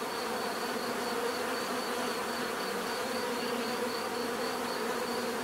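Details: Continuous droning hum of many bees, low buzzing bands layered with a faint pulsing high whine, no pauses or other sounds.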